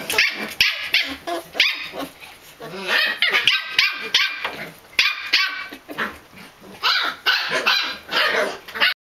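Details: After-meal chatter from a Pembroke Welsh Corgi puppy at a breeder's kennel: short bursts of high, squeaky yips and barks separated by brief pauses, with some human voice mixed in.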